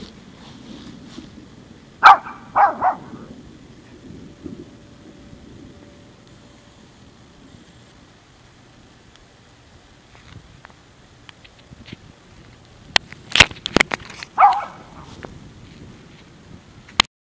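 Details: A male Maltese dog gives short, high, sharp barks in two brief bursts. He barks like crazy every time he hears thunder.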